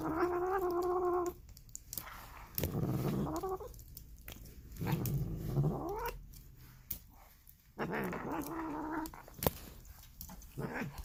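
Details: Polydactyl domestic cat making weird, grumbling noises: a harmonic wavering cry opening the clip, then low growly rumbles and a rising harmonic call near the end, with clicks and handling noise indoors.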